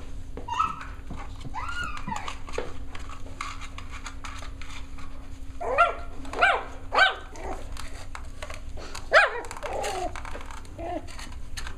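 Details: Playtime for a litter of six-week-old Cavalier King Charles Spaniel puppies, giving short, high, harmonic yips and barks in irregular bursts, clustered around the middle and later part, among scuffling, thumps and faint room noise.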